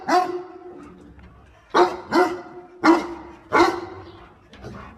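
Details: Dog helping its owner gather water spinach gives a steady series of about five harsh barks, roughly one every three-quarters of a second, the last one softer.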